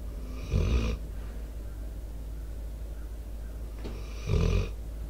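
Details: Debo, a four-year-old American Staffordshire Terrier/Pit Bull, snoring into a microphone: two harsh, rumbling snores about three seconds apart, each lasting under a second, with quiet breathing and faint outdoor background between them.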